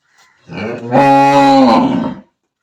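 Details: Village cow letting out a short, loud moo lasting about one and a half seconds. It swells quickly and then tails off with a slight downward slide.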